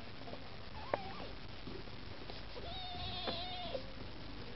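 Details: Maine Coon kittens beside their mother Lakshmi, begging for food indoors: a short wavering mew, then a long, level, drawn-out plaintive meow, with a faint higher thin cry above it, amid low household rumble and a couple of clicks.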